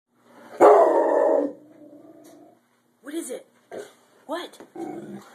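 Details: A Rottweiler barking at a chicken baking in the oven gives one loud, drawn-out, deep bark, then a person asks it whether it is afraid of the chicken.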